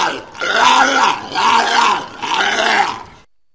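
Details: Walrus voicing three rough, drawn-out groans in quick succession, each rising and falling in an arch, about one per second, loud and close.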